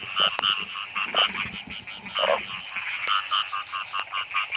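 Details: Several narrow-mouthed frogs croak close by in heavy rain during a night torch hunt; sharp, reedy notes repeat quickly and overlap, with one deeper caller and a constant background hiss.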